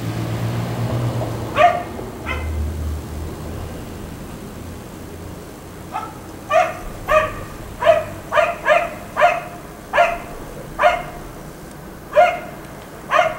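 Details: A neighbour's black Labrador Retriever, left outside all day and barking until about 1 am, gives short, sharp barks singly and in quick pairs at an uneven pace.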